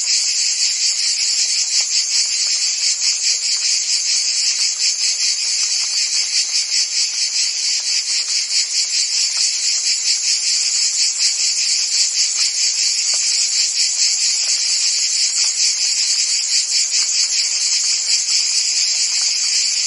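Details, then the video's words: Many crickets and other insects chirp together as a constant, shrill, high drone, rapid pulses repeating around twice per second, even and unbroken from start to finish. "Cricket and Insect Sounds"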